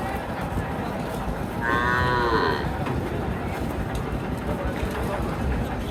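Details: Cattle at the busy weekly Monday meat-cow market at Chhatra haat in Naogaon, recorded on 20 May 2024; a single drawn-out, harmonic moo of about one second rises above a constant murmur of crowd noise.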